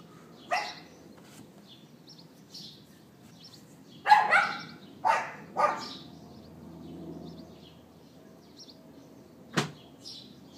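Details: Neighbour's dog left outside for about twenty minutes, recorded on an iPhone 4S around late morning on April 18th 2012: a few scattered sharp barks, a pair close together mid-clip and one more near the end, with quiet background between.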